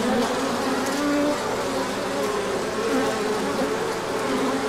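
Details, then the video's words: Many honeybees humming during a large orientation flight on a sunny day after colder weather, pollen coming in; a dense, steady buzz with overlapping wingbeat tones and brief drones sliding past. "Large Orientation Flight."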